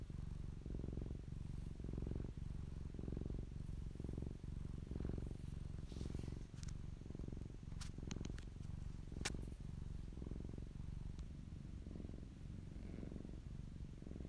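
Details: Purring of Popolina, a fluffy domestic cat recorded close up; a steady low rumble pulses roughly once a second, with a few faint clicks and light rustling above it.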